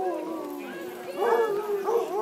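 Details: Basset Hounds competing for Best Howl at the Oregon Basset Games, Legion Park in Woodburn, Oregon, on a rainy Sunday afternoon, 17 July 2011; wavering drawn-out howls rise and overlap, with crowd noise behind.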